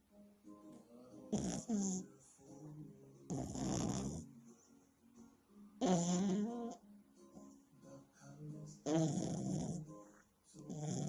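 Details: A French Bulldog, Maya, snores very loudly while sleeping, with rasping, rattling breaths repeating every few seconds.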